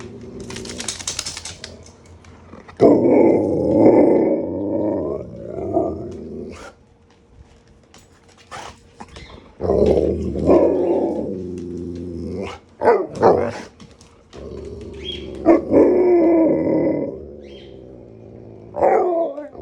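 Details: Alaskan Malamutes howl and 'talk' in the morning in long, wavering, rising-and-falling woo sounds, asking for food even though they were fed at 6 am.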